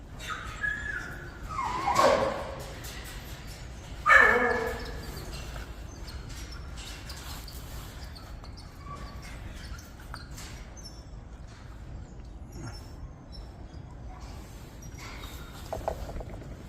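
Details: Jindo puppies of mixed colours (black, yellow, brindle and black-and-tan), now lively and active; two short, loud yelping barks about two seconds apart, then quieter faint yips and rustling over steady low background noise.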